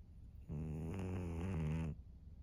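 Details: Thirteen-year-old female fawn pug Maria, kept as a pet in Japan, snores once on March 3, 2024: a single deep, buzzing rattle lasting about a second and a half, then quiet.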